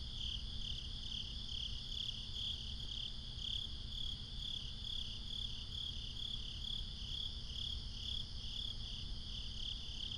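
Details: Crickets chirping at night, binaurally recorded; evenly spaced high chirps pulse about twice a second over an unbroken trilling chorus and a low background rumble.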